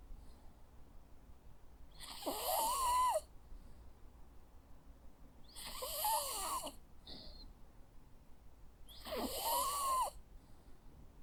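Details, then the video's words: Snores from a Jack Russell Terrier asleep: three harsh, breathy rattles spaced about three and a half seconds apart, each with a faint whistling wheeze, plus a tiny soft sniff between the second and third. "Sounds of a Jack Russell dog snoring. Cute sleeping and snoring sounds."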